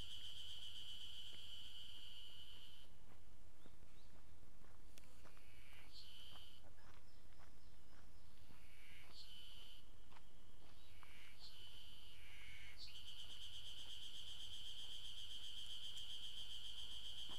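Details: An Ezo spring cicada in Maruseppu, Hokkaido, on 16 June 2012 sings a shrill, steady drone broken midway into short, stuttering repeated phrases.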